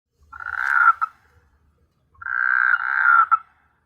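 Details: Frogs calling at night on S.Hulhumeedhoo island in the Maldives: two harsh, raspy croaking bursts, each about a second long, separated by a short silence, with faint low rumbling underneath.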